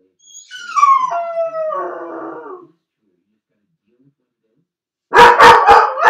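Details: Felix the dog, shut alone in a crate as the owner leaves, lets out a high descending howling cry lasting over two seconds, then after a pause breaks into a rapid burst of four loud barks.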